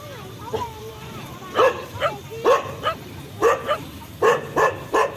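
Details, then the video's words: Dog barking in short bursts, roughly two to three sharp barks per second in clusters, after an opening of faint whining or squeaky sounds; a steady low hum runs underneath. "Funny Dog Videos, Barking Dogs Sound Effect"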